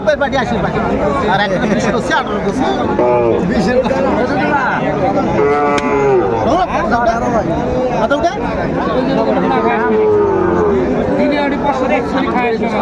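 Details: Bulls at a cattle market in Cumilla, Bangladesh, on 14 September 2024, as farmers buy stock. Several overlapping harmonic moos, some rising then falling, sound over constant crowd chatter and bargaining voices.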